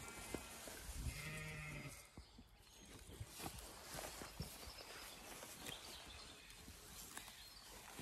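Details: Zwartbles sheep named LittleBit, an uncooperative ewe on a Zwartbles Ireland farm, recorded while grazing for a farm soundscape of soil biodiversity; a single low, steady, harmonic bleat lasting about a second, then scattered crisp ticks and rustling outdoor noise.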